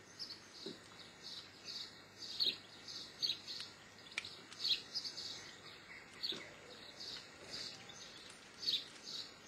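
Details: Geoffroy's marmoset giving a long run of high-pitched chirps and short whistles, fairly evenly spaced with several louder bursts, plus occasional faint clicks under a light, steady hiss.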